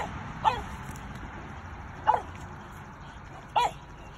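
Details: Domestic dogs, a Doberman and a French Bulldog, barking at a raccoon that entered their boundary in the afternoon, the Doberman protecting her family; three short, sharp single barks spaced about one and a half seconds apart over a quiet background.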